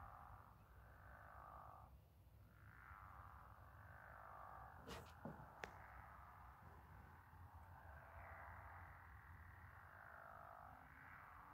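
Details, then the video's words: Frog/toad symphony beneath a reflected moon: dense buzzy trills continue almost unbroken, briefly dipping near two seconds, with two sharp clicks around five seconds over a low hum. "Frog/toad symphony with moon reflection"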